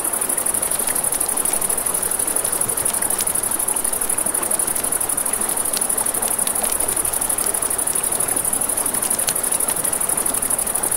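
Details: Riverside crickets at night keep up a constant shrill, finely pulsed high trill while a campfire snaps and pops and the river murmurs in the background.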